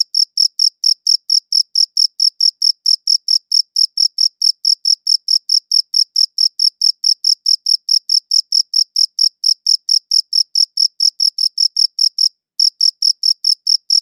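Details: A long run of cricket chirps, recorded with a good audio recorder: rapid, regular high-pitched pulses about four per second, with one brief pause near the end; no other sounds.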